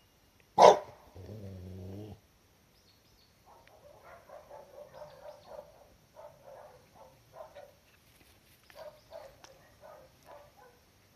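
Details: Cardigan Welsh Corgi puppies, filmed 16 October 2020 while getting used to the garden and much more active than a week earlier, give one sharp bark, a low rumbling growl, then a string of soft yips.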